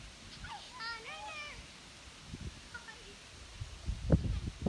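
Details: High, wavering bleats from Ranger, a six-week-old whitetail fawn living around a house, come in a quick series early on, then a fainter one, while people talk and rustle nearby.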